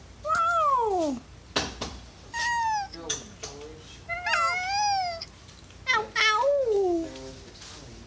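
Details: Domestic cat meowing indoors, a series of drawn-out, falling and wavering meows roughly every two seconds, some rising then dropping in pitch, with a person talking softly in between.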